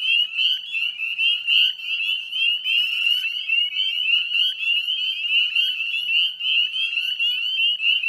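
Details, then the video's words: Dusk chorus of northern spring peepers, Chezzetcook salt marsh, Nova Scotia, Canada, 18 May 2020 at 9:08 p.m.; a steady high-pitched ringing of countless overlapping peeps, pulsing loudly about once a second, with a short raspy trill midway. "Northern Spring Peeper Chorus"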